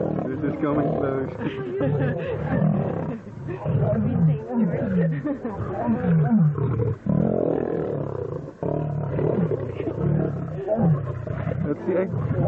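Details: Lions fight about 5 metres away, with deep rumbling growls and snarls surging and falling, while people talk excitedly nearby. Finding: Lion.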